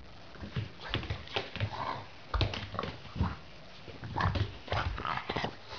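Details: A Boston Terrier grumbles and whines in protest with short, irregular complaining noises while having its anal glands expressed, which it dislikes.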